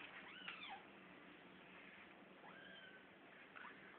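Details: Kittens fighting, heard as drawn-out rising and falling yowls near the start, middle and end, with a steady background hiss throughout.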